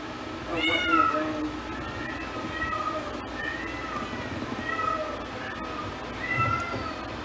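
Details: Female Domestic Shorthair cat, new to a shelter and a little nervous, gives one clear meow followed by softer drawn-out mewing calls against constant background hum.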